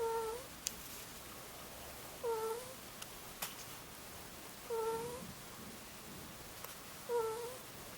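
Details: Two-year-old Angora ferret named Muchin snoring in its sleep with soft cooing 'ku-ku' snores: a faint, whistly tone with a slight rise, repeated about every two and a half seconds over quiet room hiss, with a few clicks.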